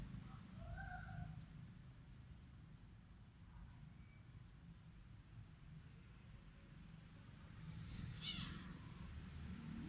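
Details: Village cat in rural Cambodia, recorded on a Samsung mobile phone: a faint, short harmonic meow early on, then a brief higher-pitched cry near the end, set against a steady low rumble of background noise.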